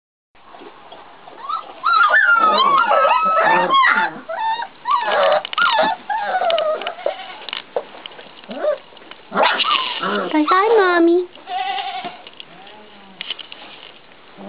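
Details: Great Pyrenees puppies, four and a half weeks old, wanting to be fed. Many overlapping high, wavering whines and squeaky yelps rise and fall in a rapid, clamorous chorus with short pauses.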